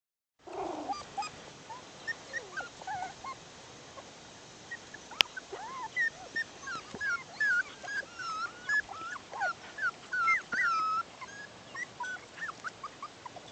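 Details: Six-week-old Bichon Poodle puppies from one litter playing outdoors: thin, high whimpers and short yips, many bending up or down in pitch, overlapping in quick irregular bursts of several per second, with one sharp click midway.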